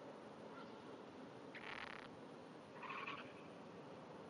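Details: Japanese wrinkled frog hidden under grass at dawn, 5:30 am, 16 June 2009, calling with small trembling vibrations: two brief buzzy, pulsed rattles about a second apart over a quiet hiss.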